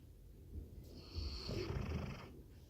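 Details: Labrador Retriever asleep and snoring, a single drawn-out rumbling breath with a rasping, slightly nasal edge lasting over a second.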